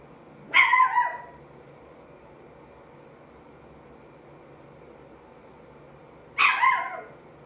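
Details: Chihuahua puppy about five and three-quarter months old, vocalising as if talking: two short yappy high barks with falling, whining tails, about six seconds apart, over a quiet room.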